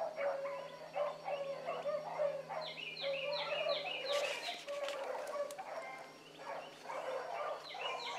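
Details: Hound pups Ringo, Mingo and Choco running a rabbit in the morning, a pack giving tongue: overlapping, ringing bays and yelps stacked in several voices, pouring out almost without pause, one higher chopped run of cries in the middle.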